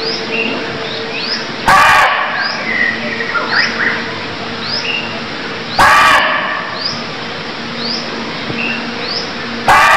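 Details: Cambodian barking deer calling three times in ten seconds: short, explosive, rasping barks roughly four seconds apart. Between them, small birds give brief upslurred chirps against a constant background hiss.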